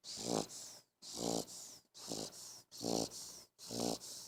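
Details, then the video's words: An 11-week-old English Bulldog puppy, stretched out on a bed, snores loudly with rasping, snorting breaths about once a second. "Funny English Bulldog Snoring Loud!!!!"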